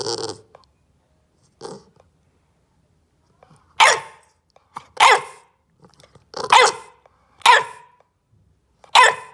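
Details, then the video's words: A bulldog puppy, told not to bite the corner of the couch, protests with sharp, hoarse demand barks spaced a second or so apart. "Bulldog puppy demand barking"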